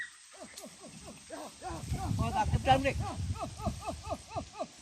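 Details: Hunting village dogs chasing wild boar, a traditional hunt with dogs and spears, pour out rapid high yelping barks, several per second in an excited chorus, over low rustling and thumping ground noise.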